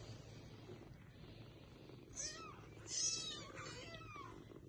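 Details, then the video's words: Young kittens calling to their mother to be lifted up: two short high squeaky mews a second apart, the second louder and bending downward, over a steady low background hum. "Little Baby kitten Asking Mama to Pick them up|🤣🤣||Meow Meow"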